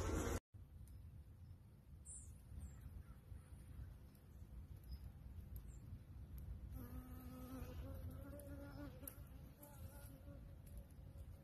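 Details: Honey bees kept by beekeepers in Cambodia make a low, steady droning hum that swells in the second half, where a rising and falling whine of a bee flying close passes through.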